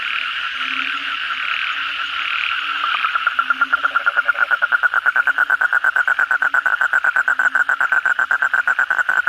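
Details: Night frog chorus after a downpour, kodok bangkong: a steady blended background chorus, then a close caller starts a rapid, loud series of clipped pulses, nearly three per second, growing stronger to the end.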